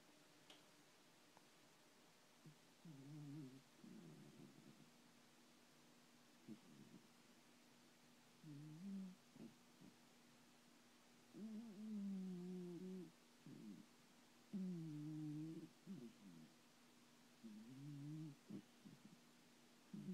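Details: Thomas the cat snoring happily while asleep and dreaming indoors: soft, low rumbling breaths come in uneven bursts a few seconds apart, some longer and louder, with quiet pauses between them.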